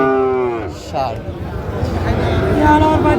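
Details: Bull calves of Friesian and cross breeds at the Raniganj haat in Dinajpur, Bangladesh, March 2025: a short falling moo opens, then a second drawn-out low call follows near the end amid crowd noise and bargaining voices.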